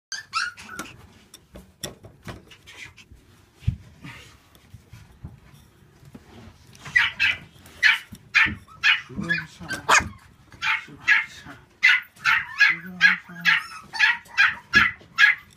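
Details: Black female Shiba Inu at a kennel specialising in Siberian Huskies and Shiba Inus, indoors; scattered sharp yelps early, then a run of high barks roughly every half second in the second half.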